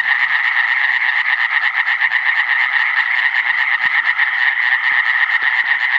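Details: Iberian tree frog (Hyla molleri), filmed in 2017, giving a sustained, harsh croaking chatter of very rapid pulses, about two per second in loudness swells, steady and loud throughout with no other clear sounds.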